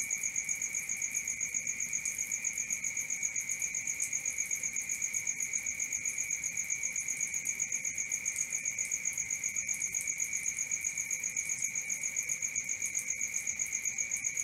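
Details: Crickets singing through the night, a continuous high ringing trill broken into quick, evenly spaced pulses near four per second, with no other clear sounds.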